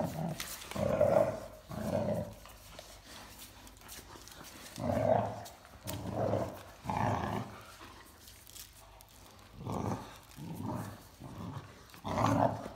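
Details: Growling from Mikey, a 14-week-old, 21 kg Great Dane puppy, during tug of war with his 52 kg sister Ellie indoors in an art studio. Rough, low growled bursts of one to two seconds recur at irregular intervals with quiet gaps between them.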